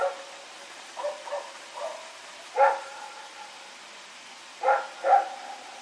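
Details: Dog Rex running and barking at night, Sep 21, 2018: softer, muffled barks first, then louder, sharper single barks, ending in two strong barks close together.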